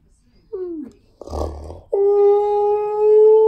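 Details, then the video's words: Siberian Husky named Key, who sings to TV adverts for cleaning products: a short falling whine, then a noisy burst of other sound, then a steady, sustained, tonal howl that swells slightly toward the end. "Husky Watches TV And Sings To Adverts"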